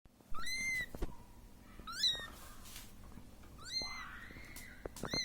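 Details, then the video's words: Siamese kitten calling for its mother, who left it alone: high, bright meows that rise then slide down. Three strong calls arrive about a second apart, with a fainter one at the end. Soft clicks and handling noises sound in between. "صوت قط صغير السيامي .. ينادي على امه التي تركته وحيدا"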